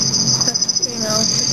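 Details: A male black field cricket (Teleogryllus oceanicus) gives a continuous, high ringing trill at night under red light, during mating and aggression among males near a female; observers whisper and discuss quietly over it.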